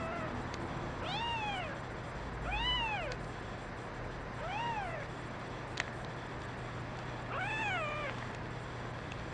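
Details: Kittens crying, one a brown mackerel tabby female; four clear arched meows, each rising then falling, spaced about two seconds apart over a steady low hum.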